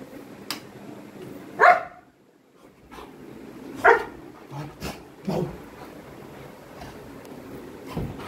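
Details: Coco, a pet Labrador, playing with a family member; two sharp single barks several seconds apart, with softer yips and thumps between and quiet room sound.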